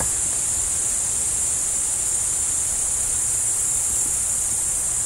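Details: Crickets chirping near a roe deer: a dense, high-pitched shrill drone holds steady and unbroken from start to finish, with no other clear sounds.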